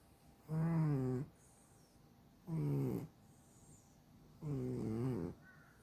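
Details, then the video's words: Sleeping domestic cat snoring hard enough to keep its owner awake; three buzzy, droning snores about two seconds apart, each lasting roughly three quarters of a second and slightly wavering in pitch, with near silence between. "코곯아대서 잠못드는 집사!😎a snoring cat"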